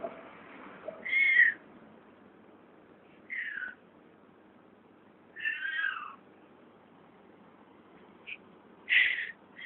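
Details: A cat found by the recorder making weird noises: four separate harmonic meows, high and slightly falling, spaced two to three seconds apart, with a quieter short chirp near eight seconds and low background hiss.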